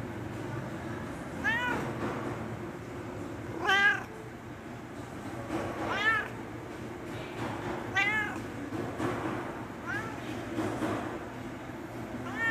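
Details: A cat pleading for food repeats clear, drawn-out meows roughly every two seconds, each call arching up then down, over a low, even background hum.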